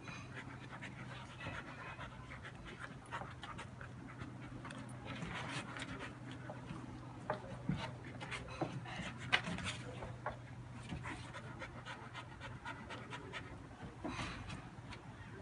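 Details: Happy dog panting steadily, soft breathy bursts repeating through fifteen seconds, a few sharper clicks and rustles between, over a constant low electrical hum indoors.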